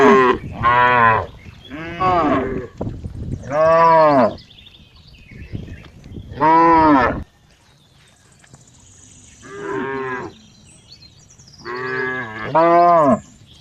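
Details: Cow mooing in repeated strong harmonic bellows, several short moos in quick succession then spaced calls, some rising and falling in pitch, with quiet gaps between.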